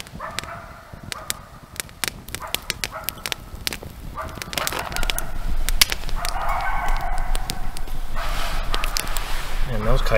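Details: Coyotes calling all around a camp at night: scattered sharp clicks and crackles open, then a rising chorus of rough, wavering yips and howls that swells and overlaps through the second half, growing louder toward the end.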